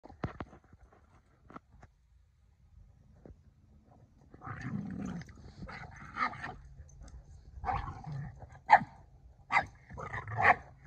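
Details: Boston Terrier begging a Keeshond to play, jumping about: after a few quiet seconds, a burst of rough, noisy barks and yaps, some grouped in quick pairs, growing sharper toward the end.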